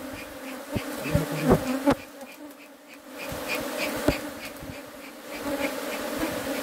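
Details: Bees from local honey hives produce a steady, low humming drone with layered overtones throughout. Scattered sharp clicks and knocks stand out, and faint high chirps repeat in the background.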